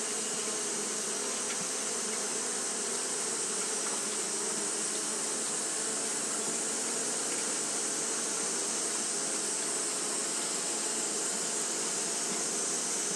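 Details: Japanese honey bees fanning steadily in hot weather, producing a thick, unvarying hum of overlapping low tones with occasional brief clicks, accompanied by a constant shrill hiss above.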